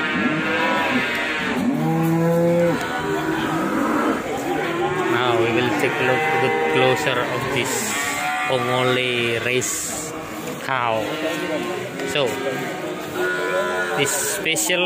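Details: Ongole cattle of the original breed from Indonesia lowing in repeated drawn-out moos, some wavering, heard over steady background music with bursts of clapping.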